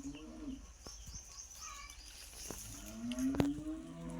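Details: Native village cow licking her newborn calf since morning: a brief low moo at the start, then a longer rising harmonic moo near the end, with scattered clicks and faint high background noise.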